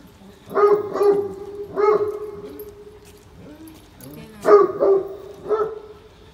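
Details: Deep, resonant barking from a Great Pyrenees out on a rainy morning walk at Oyama Yuen Harvest Walk. Barks come in clusters of two or three, with a drawn-out tone after one cluster and a pause before the next burst.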